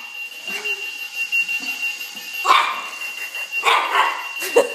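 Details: Puppy frightened by an alarm clock, giving a few short yelping barks spaced about a second apart, with a steady electronic beep tone running underneath.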